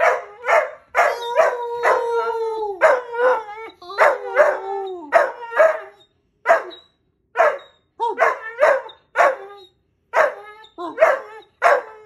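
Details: A wolfhound puppy howls on command in short, wavering bursts broken by yips and barks.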